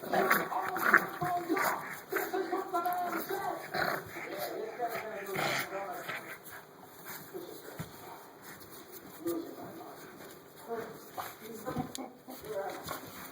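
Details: Six-week-old Dark Chocolate Tri AKC English Bulldog puppy at play, giving short whimpering and yipping vocal bursts at irregular intervals, with human voices talking throughout.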